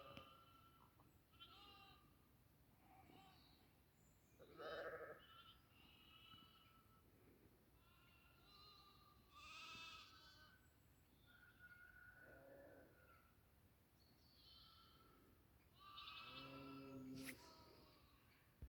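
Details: Goats on a goat farm bleating in scattered, short, nasal calls from several animals, some faint and distant, with louder bleats around the fifth, tenth and seventeenth seconds over a quiet background.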